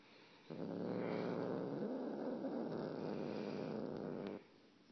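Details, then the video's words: Domestic cat giving an odd, sustained, coarse purring rumble for nearly four seconds, steady and rapidly pulsed, then stopping abruptly into quiet room noise. "Weird cat noises"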